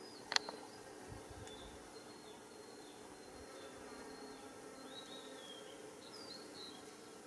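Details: In early July 2016, Japanese honeybee workers buzz around white rock creeper flowers along a mountain road in Japan while foraging; a faint, low steady hum continues after a single sharp click at the start.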